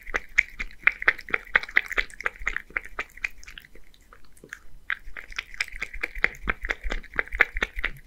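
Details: One-year-old male Scottish Fold named Beard, from Japan, eats creamy seafood soup; rhythmic wet lapping ticks in bursts, a short pause midway, then the licking resumes at the same brisk pace.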